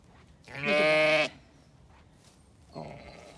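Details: Zwartbles sheep in a farm paddock in County Kilkenny, Ireland, among ewes turned out with their lambs: a loud, harmonic-rich bleat of nearly a second, then a second, fainter bleat starting after a quiet gap.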